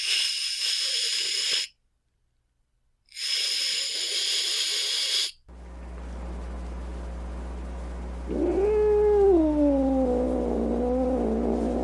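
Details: Angry cat hissing in two long, harsh, breathy bursts separated by a silent gap, then after a pause letting out a short, wavering, whining yowl that dips and rises, over a faint steady hum.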